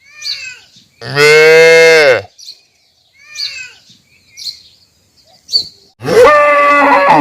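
A calf gives two loud, drawn-out moos, separated by soft chirping bird calls.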